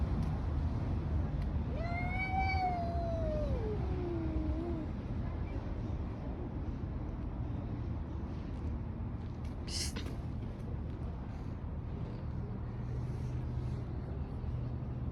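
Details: Street cats fighting: one long, wavering yowl rises slightly and then slides downward over about three seconds, followed by a steady rumble of road traffic with no further cries.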